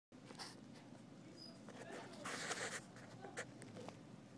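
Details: Kitten purring: a low, steady, rapidly pulsing rumble runs through the whole clip, broken by soft rustling and handling noises, with a louder scraping burst partway through.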